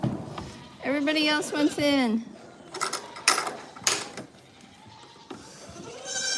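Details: Farm goat giving one clear, tremulous bleat with a wobbling pitch lasting about a second, followed by scraping, knocking noises and a soft later cry amid background clatter.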